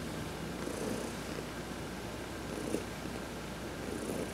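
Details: Adopted house cat Heidi purrs under a massage as she sunbathes: a quiet continuous rumble rising gently at intervals of roughly 1.8 seconds, accompanied by light brushing noise.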